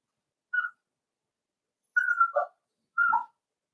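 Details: Cavalier King Charles Spaniel puppies playing together in an indoor home puppy pen: three short, thin whistled whines, the later two sliding downward into lower, rougher notes, with quiet pauses between.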